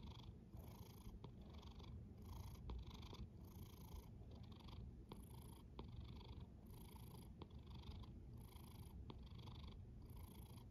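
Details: Quiet snoring from a cat. A dense low drone runs continuously, and faint hissy breaths rise and fade at a regular pace of about one per second. The setting is calm and indoor.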